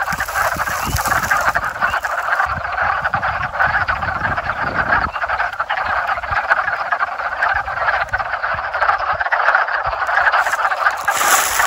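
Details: Backyard frog chorus recorded in the 2021 mating season: many frogs croaking at once in a steady, thick wall of rattling calls with no pauses and no human speech.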